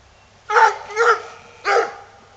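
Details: Earl, a Coonhound who wants to go hunting, gives three short, bright barks, two in quick succession and a third after a brief pause.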